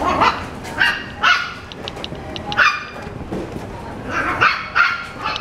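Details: Pomapoo barking in quick, high yips, about eight short bursts in five seconds, some in close pairs, over continuous background noise.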